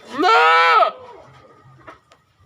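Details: A single goat bleat, strong and buzzy, held steady for about two-thirds of a second before dropping off, followed by soft low background rumble and a few faint clicks.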